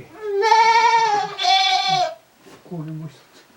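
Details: Goats spending time in their shed while ruminating, recorded January 29, 2023 at a handmade goat farm: two long, wavering, nasal bleats in quick succession, followed by a shorter, lower sound near the end.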